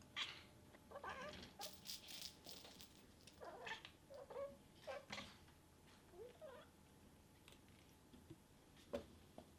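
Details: Very vocal female domestic cat making cute noises because she wants to play, indoors; a series of short, soft chirping meows at irregular intervals over several seconds, with rustling and clicking sounds between them.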